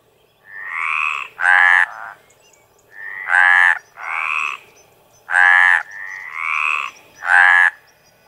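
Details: Mediterranean tree frog, Hyla meridionalis, calling in courtship: long, harsh, croaking notes of about half a second each, with two or more frogs overlapping and alternating, one note slightly rising and rasping, repeating roughly every two seconds.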